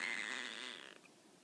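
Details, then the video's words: Tonkinese cat Peko, lying down and rolling over, answers when called with one high, clear meow that holds steady, then slides down and fades within a second, leaving a quiet room. "必ず返事をする、ETペコ トンキニーズの猫ちゃん"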